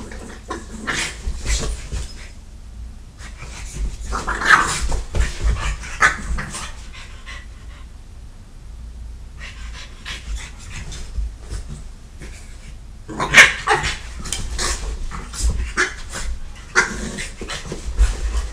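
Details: Three dogs left home alone, a French Bulldog attacking a Catahoula, with rough scuffling growls, panting and snorting in bursts separated by quieter stretches, plus sharp whimpering yelps and scratchy thumping of bodies.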